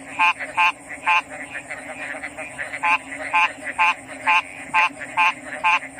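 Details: A frog gives loud, clipped, buzzy croaks, roughly two every second and sometimes paired. Fainter callers fill the gaps, and a steady shrill hum runs underneath.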